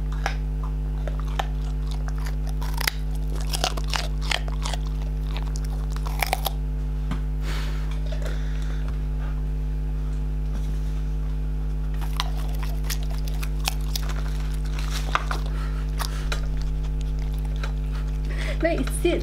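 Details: English Springer Spaniels Hadley and May munching food indoors, crisp crunches and bites coming in clusters around three to seven seconds and again near twelve to fifteen seconds, with a constant low hum underneath.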